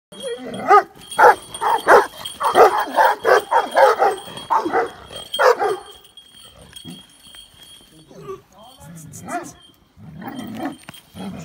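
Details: Several Kangal dogs, jealous and noisy, let out a dense run of loud, harsh barks and yelps for about six seconds, around 86 a minute. Softer, scattered vocal sounds and a faint steady high tone follow.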